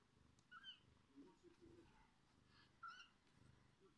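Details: Kittens being fed by their mother cat: several short, thin, high mews come in scattered bursts over a soft low purring background indoors.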